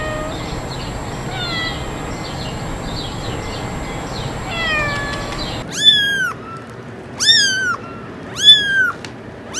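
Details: Faint mewing buried in broadband hiss for the first half, then three clear, loud descending kitten meows spaced about a second and a half apart.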